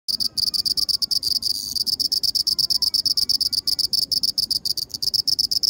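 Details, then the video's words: Black cricket chirping: a rapid train of high pulsed chirps, about three per second, steady and dense throughout, with a faint whistle-like tone in the background. "Real voice of black cricket"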